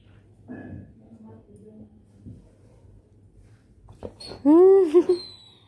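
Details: Labrador Retriever puppy indoors in a small room, giving a loud, drawn-out whine that rises then falls around 4.5 seconds, preceded by soft snuffles and a brief yelp, with a low steady hum underneath.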